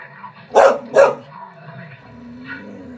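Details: Norwegian Elkhound named Kiera barking while watching other elkhounds on a screen: two sharp loud barks close together near the start, then quieter background sound and a faint distant yelp.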